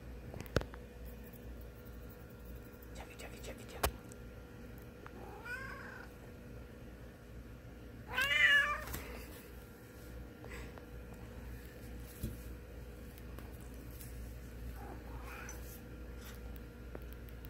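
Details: Chocolate Cat, a domestic cat, sounds a few scattered meows indoors: a faint rising one early, a strong wavering meow near the middle, then a soft one later, amid clicks, taps and a steady hum.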